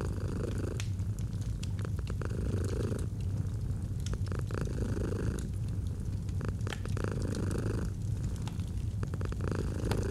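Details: Continuous low purr of a domestic cat beside a fireplace, the rumble rising in rhythmic breathing cycles every two to three seconds, with frequent crackles and snaps from burning wood.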